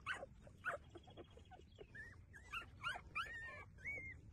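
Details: Nursing street puppies squeak and whimper in quick, short high yelps and brief rising whines, one after another about every half second, with soft rustling underneath.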